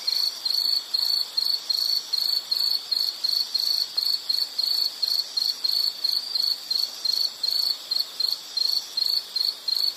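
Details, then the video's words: Insect chirping in a nature soundscape meant for calm study or sleep: a high, thin trill pulsing in short bursts about three times a second, steady and unbroken, with faint background hiss. "Nature Sound of nature sounds scenery L · insect"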